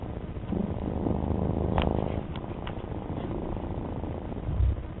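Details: Domestic cat purring close up: a steady, low, rumbling purr that runs without a break, with a few faint clicks.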